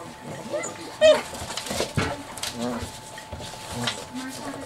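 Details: Chocolate Labrador pups aged seven weeks roughhousing: a sudden sharp yelp early on, then low grumbling growls and brief squeals repeating through the scuffle, under a steady background hum.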